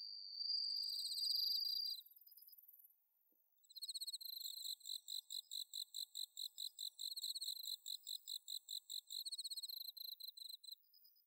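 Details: Bell cricket on an autumn night at Inba-numa paddy fields, Chiba Prefecture, Japan, via Zoom H6: a bright ringing trill for two seconds, a brief dip, then a long series of regular high pulsed chirps, roughly two per second.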